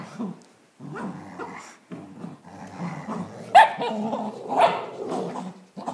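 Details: Bailey the Dachshund and Mac the Greater Swiss Mountain Dog wrestle over a tug toy, giving throaty rumbling growls broken by a few louder snapping barks near the end, with a human voice faintly heard.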